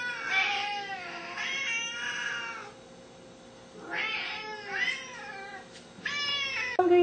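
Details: Hungry pet Siamese cats, a seal point male aged four and a blue-lilac point female aged two, meow insistently indoors: three or four loud, wavering, drawn-out cries separated by pauses, with an owner's voice and faint music.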